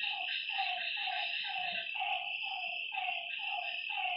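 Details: Lakeside frogs at night give rounded, slightly falling honking notes in an uneven series roughly once a second, several voices overlapping, with a continuous high insect drone running behind them.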